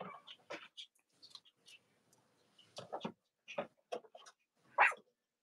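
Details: Cavalier King Charles Spaniel puppies from the litters of mothers Robin and Myra, filmed on a live stream on a chilly Monday morning near Halloween in the US, giving a string of short, squeaky yelps and whimpers in irregular bursts.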